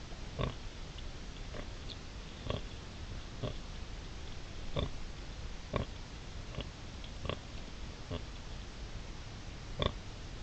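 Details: Sow wild boar with three striped piglets on 5 September 2020, giving a run of brief, clipped grunts roughly every second, evenly spread across the recording above a constant hiss.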